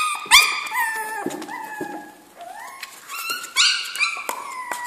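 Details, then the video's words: Young Jack Russell Terrier puppies kept in a kennel, whining and yelping in short rising and falling cries, with several voices overlapping and brief sharp squeals between them. "kennel di sopravento cuccioli"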